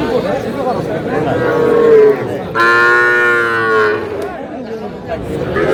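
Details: Calves, small bulls and heifers, at a cattle market in Dhaka, Bangladesh, 4 February 2026: a faint low moo, then a strong, rich moo lasting over a second amid busy market chatter.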